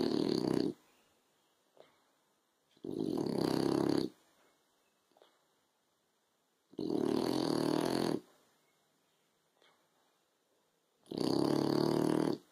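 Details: French Bulldog asleep on a sofa in afternoon sun, snoring: four loud, rough, rasping snore bursts about every three to four seconds, each lasting around a second, with quiet pauses between and faint small sniffs.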